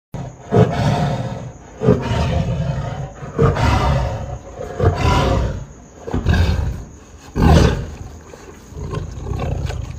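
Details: A Bengal tiger roaring during its dinner: deep, rumbling roars and growls in bursts every second or two.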